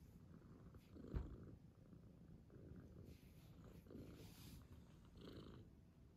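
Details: Low, soft purring from a father cat resting with his kitten, rhythmic breathy pulses swelling about once a second, plus a brief bump or knock near the start.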